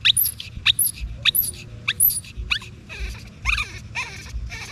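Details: A baby monkey, separated from its mother, cries in sharp, piercing high squeals that each sweep steeply down. They repeat about every half second, then give way to harsher, noisier wails.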